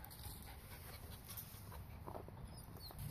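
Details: Pug, a female, breathing in rapid, rough pants while frustrated at a ball stuck inside a Croc, faint huffs repeating under steady low background hum.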